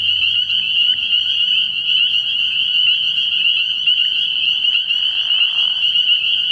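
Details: Early-year night at a frog pond, where a mass of spring peepers produces a constant shrill chorus of overlapping high peeps, with a brief softer lower rasp late in the recording.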